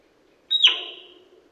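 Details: Male sika deer whistling in autumn 2021, Primorsky Krai, Russia: a single sharp high whistle that starts shrill and slides downward, fading over about half a second, with faint low background hiss.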